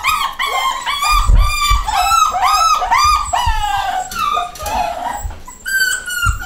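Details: Nine-week-old home-bred pedigree miniature dachshund pups, male and female, giving rhythmic arching whines, about two or three a second, several voices overlapping, then a drawn-out higher cry near the end amid low bumps.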